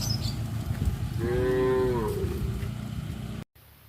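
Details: Tame cows in a village: one arched, strongly harmonic moo of about a second, rising and then falling, over a low rumbling background, ending in a brief cut.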